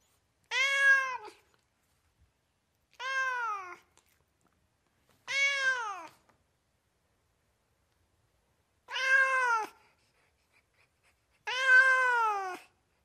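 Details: Domestic cats and kittens in California meowing nonstop: five clear harmonic meows, each about a second long with a slight rise then fall, spaced two to three seconds apart against a quiet indoor background.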